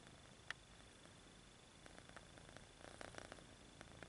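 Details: Kitten purring while stretching its paws, low continuous rumble with soft rhythmic pulses, a sharp click near the start and brief rustling bursts toward the end.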